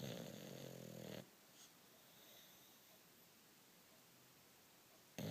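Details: A sleeping bulldog snores: one loud, rough, rattling snore fills the first second, then quiet breathing follows, and another harsh snore begins at the very end.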